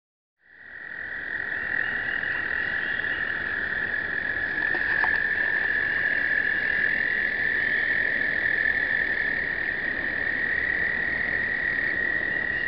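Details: American toads in explosive breeding, many males trilling together in a continuous, steady high-pitched chorus with a faint harmonic above, filmed on a pocket point-and-shoot camera in 2009.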